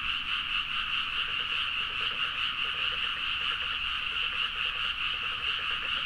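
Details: Late-night frog chorus recorded on a Zoom H4n in paddies of Nagaoka, Niigata, Japan: overlapping croaks form a steady bright wall, with rapid clicking pulse trains repeating beneath throughout.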